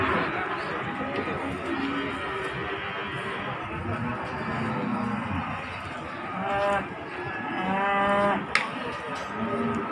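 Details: At Pasar Margorejo, Pati, cattle come down off a truck on 13 May 2020; a short, lowing call rises out of constant chatter and crowd noise, with people's voices dominating between calls.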